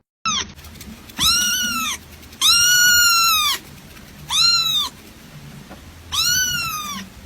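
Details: Kitten meowing in four loud, drawn-out, high-pitched meows, each arching up then falling, spaced a second or more apart over a quiet background.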